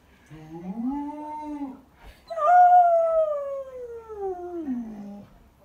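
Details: Samoyed howling in two drawn-out notes: a first howl that rises and holds level, then after a short pause a louder, clear howl that starts high and slides slowly downward for about three seconds.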